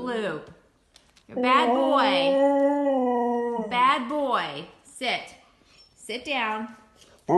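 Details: Male Siberian Husky indoors throwing a tantrum after getting into the trash and being scolded: long wavering harmonic howl-talk rising and falling, then shorter yowling bursts, with a person's voice between.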